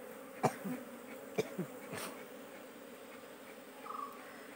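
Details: Honey bees at a beekeeping farm in Kerala, India. A steady low buzzing hum runs throughout, broken by a few sharp knocks and handling noises.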